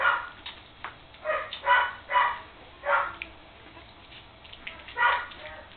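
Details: Three-week-old puppies in their first play session together, letting out a string of loud, short, harsh yaps and squeals, about one every half second, with quieter gaps between.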